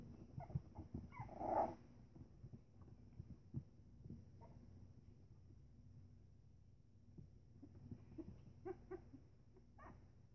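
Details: Three-week-old Pembroke Welsh Corgi puppies playing together give a short yelp and soft whimpers amid quiet shuffling.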